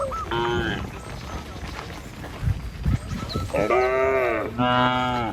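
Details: Dozens of village cattle making their way to the pen; after a quieter stretch of footsteps and rustling, two strong, steady bellowing moos follow in quick succession.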